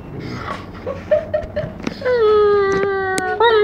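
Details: A Giant Schnauzer puppy of four months starts with soft whimpering notes, then breaks into a steady, sustained howl with a slight rise at the end.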